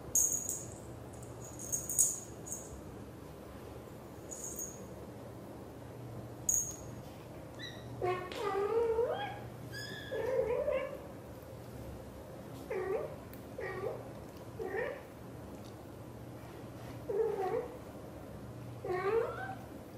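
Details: British Shorthair mother cat, blue golden coat, talking to her kittens; a run of short, rising chirped meows in clusters through the second half, preceded by high-pitched squeaks early on, with a steady low hum throughout.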